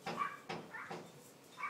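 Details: Poodle puppies giving short, high yelping cries in quick bursts about half a second apart, each with a sharp onset and a brief tonal tail, then a final rising squeal.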